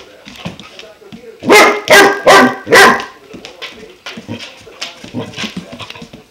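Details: German Shepherd puppy aged five months, introduced to a water buffalo horn, lets out a rapid run of four strong barks, preceded and followed by quieter grumbles and soft yips.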